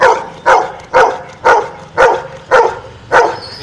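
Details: Pet dog answering a spoken arithmetic question, ten minus three, with seven short, sharp barks evenly spaced about half a second apart, and a person then praises it with 'good'.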